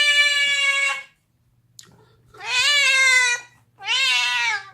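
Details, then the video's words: Deaf pet cat screaming while gnawing on a bone indoors, making unusual noises: three loud, harmonically rich drawn-out yowls, the first level and steady, the later two wavering and bending in pitch, separated by short pauses with a faint low hum beneath. "Screaming cat gnawing on a bone makes funny noises"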